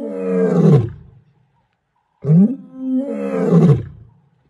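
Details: Lion roaring in two deep, rumbling bouts separated by a short silence, each swelling then fading with a coarse, harmonic-rich growling tone.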